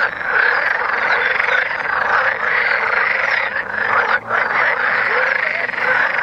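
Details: Mating frogs massed in Vrijbroek park, Mechelen, Belgium, producing an unbroken droning chorus of grating croaks, briefly thinning around four seconds.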